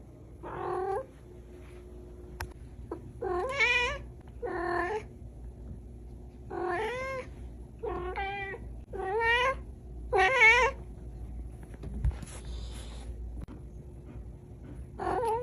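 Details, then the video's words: Small cat giving a long series of short wavering meows and yowls, roughly one every second or two, some quavering and broken, over a steady low background hum. "Short Cat Meow । Small Cat म्याऊं।"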